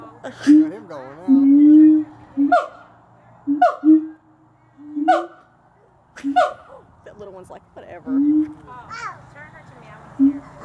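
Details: At Gulf Breeze Zoo, captive siamangs trade calls: short sharp barks roughly once a second, each with a low resonant tone, some barks drawn out into wavering hums. Visitors' voices are faintly mixed in.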